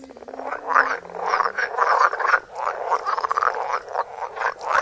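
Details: Frogs croaking close to a phone microphone, a continuous rasping chorus of overlapping pulsed croaks rising and falling in loudness, with a brief low tonal hum near the start.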